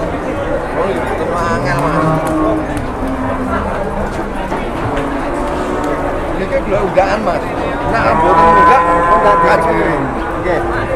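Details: A jumbo cow taken around to be sold, with several deep moos overlapping through the clip and the loudest, longest bellow near the end, set against constant crowd-like background noise.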